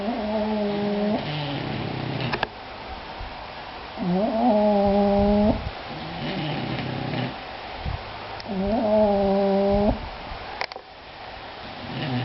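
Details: Two English Bulldogs snoring: drawn-out nasal tones with clear harmonic bands, each lasting over a second, recurring roughly every four seconds, with rustly breathing noise between and a low background hum.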